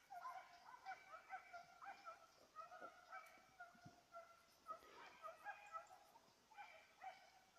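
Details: A Petit Basset Griffon Vendéen chasing a rabbit on 5 October 2014 gives a long series of rhythmic, musical bays, several per second, pausing briefly and then resuming, over faint rustling.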